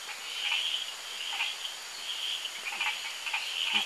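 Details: Hourglass tree frogs (Dendropsophus ebraccatus) chorus round a pond at an amphibian research centre in Costa Rica: high, insect-like creaking notes overlap into a steady buzz.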